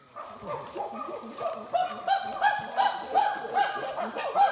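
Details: Chimpanzees vocalizing in the wild in Uganda, heard before they are seen: rapid, strongly harmonic hoots that quicken and grow louder, about three per second, building into an excited chorus.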